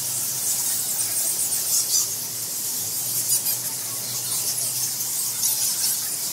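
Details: Temple-roosting bats in Bali, Indonesia, recorded at close range in March 2018 on a field recorder: an unbroken shrill squeaking mass with louder flurries of squeals, no voices present.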